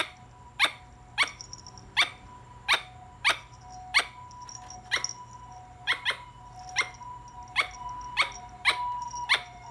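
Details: A squirrel gives a steady run of loud, sharp, clipped barks, around sixteen at roughly half-second intervals, with a faint high tone beneath.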